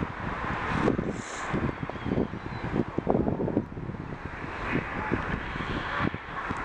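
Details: Wind buffeting the microphone with rumbling traffic noise, and no animal calls heard.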